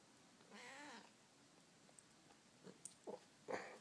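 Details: Domestic cat indoors that wants to watch a movie; one drawn-out, wavering meow early on, then a few short soft chirps and clicks near the end, over a quiet background hiss.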